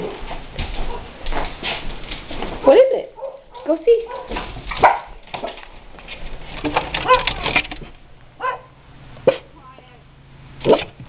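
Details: Daisy, a pet guard dog indoors, set off by another dog, Luke, barking outside: several loud, sharp barks at irregular intervals, with a person's voice speaking between them.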